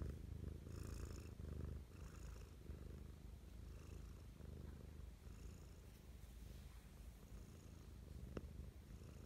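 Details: Mischa, a pet cat, in an affectionate morning mood: a continuous low rumbling purr, louder in the first two seconds, with rhythmic faint wheezy breaths and a single tick near the end, recorded closely ASMR-style.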